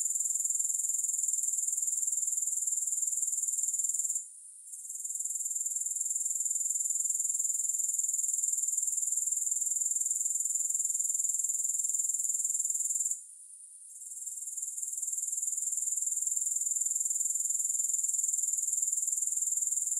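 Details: Grasshoppers with no music, a steady high, shimmering trill of rapid even pulses sustained throughout, broken by two short near-silent gaps at about four and thirteen seconds before resuming at full strength.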